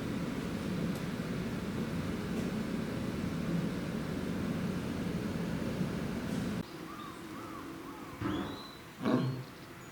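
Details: Lioness Lilika, mother of Lala and Io, threatens the gentle male lion Barry at Tobe Zoo, Japan, on 11 January 2023. A rough, low, continuous growl lasts about six and a half seconds, then stops; faint bird chirps follow.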